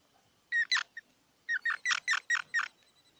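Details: Squirrel calling in two bursts, a pair of sharp squeaky notes, then after a pause a run of six evenly spaced harsh chirps, each bright and layered with overtones; faint background hiss.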